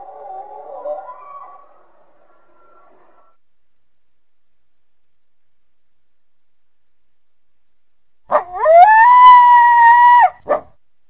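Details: Coyote heard first as faint distant wavering calls, then after a long silence a loud, steady, slightly rising howl lasting about two seconds, ending with a short yelp.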